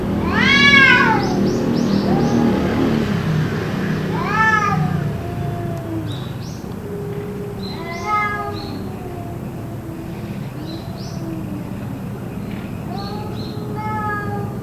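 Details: Cats in an apparent fight, calls continuing for roughly two hours; a series of arched harmonic wails and long low moaning tones, loud at first then softer, with faint clicks and a low hum behind.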